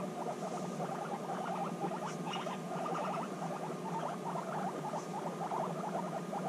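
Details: Reunited guinea pigs, apart for six months, bonding intensely; rapid rumbling chatter pulses repeat steadily with brief higher squeaks, a quiet human voice coaxing the girls afterward.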